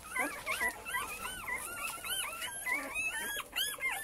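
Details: A litter of male Cane Corso puppies, litter J at Maxima lux kennel, whines continuously: many overlapping squeaky arched cries, several per second, bright and nasal, in a small indoor space.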